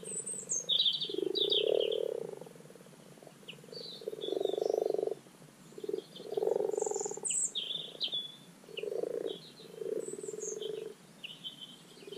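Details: Spring spawning chorus of common frogs in a garden wildlife pond, soft purring croaks swelling in bursts of one to two seconds from several frogs, while birds twitter and chirp in the background.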